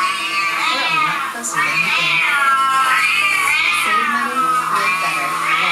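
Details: Siamese cat meowing from a screen indoors, heard by two pet Siamese cats, Ollie and Charlie, who ran in from another room; long, wavering, drawn-out meows, one after another, each rising and then falling.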